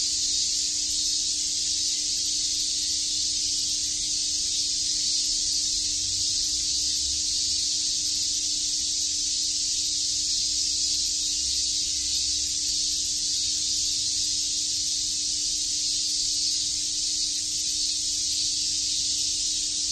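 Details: Cicadas on a summer day in Tokyo's Shakujii Park keep up a long, uniform high-pitched sizzle without pauses, steady in loudness from start to finish, with only faint low background hum.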